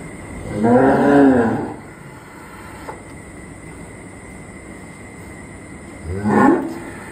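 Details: Cattle awaiting Eid al-Adha sacrifice, part of a group of eighteen cows and three goats; one long moo around a second long, a quiet gap, then a shorter second moo, over steady background hum.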